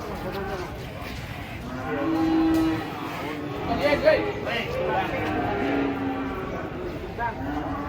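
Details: Cattle unloading from a truck: a low, drawn-out moo holds a steady pitch for under a second around the two-second mark, with another shorter low lowing later, over a murmur of voices and handling noise.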